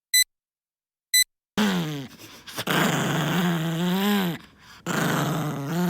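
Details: Poodle growling in anger, a sustained low rumbling snarl that swells and wavers over several seconds, briefly dipping before resuming; two short electronic beeps sound before the growl begins.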